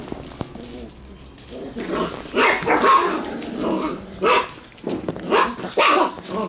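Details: Black Shiba Inu puppy struggling hard to climb up a person's body: quiet start, then a string of short, high, strained yelps and whines, bunching closer together in the final two seconds.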